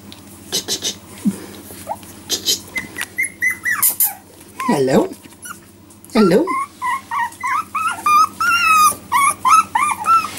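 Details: Jack Russell Terrier puppies, four weeks old and just starting to walk, make a run of short, high, rising whines and squeaks with a few lower grunting yelps, and a faint human voice in places.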